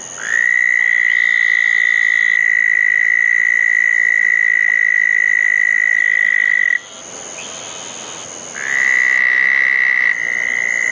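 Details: Southern toads calling at a pair of small dug ponds on a wet night after a thunderstorm, June 10, 2014: a loud, steady, high trill held for nearly seven seconds, a brief quieter gap, then another trill starts up. A faint high hiss runs throughout.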